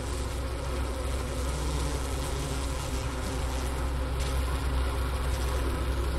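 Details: Honey bees clustered inside their hive in winter, Wooster campus of Ohio State University, 4 PM, January 16, 2024, 15°F outside, recorder near the inner-cover hole and sugar brick remains. Low, heavy, constant hum, mostly deep droning with faint higher overtones.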